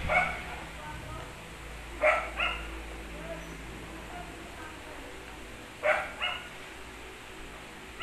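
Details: Pomeranian dogs at play, a few sharp high yips in short bursts with long quiet gaps, some barks doubled, low rumbling underneath.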